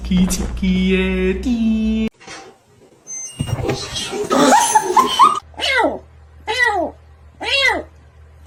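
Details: Domestic cat giving four arched meows, each rising then falling and spaced about a second apart, after a stretch of people talking and music indoors.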